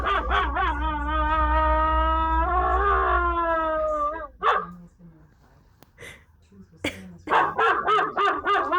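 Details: German Shepherd howling: a sustained, harmonic-rich tone held for about four seconds that swells and rises slightly near its end. After a short quiet gap come several sharp barks and yips.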